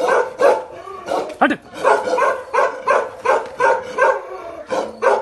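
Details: Two aggressive Bakarwal protection dogs bark hard and near, with rough, deep woofs roughly every half second and a brief rising whine-like voice near the middle.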